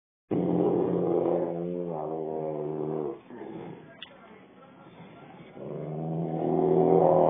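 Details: Rottweiler with an attitude, grumbling in long low harmonic growls of about three seconds each, a quieter pause between them, with a brief click near the middle.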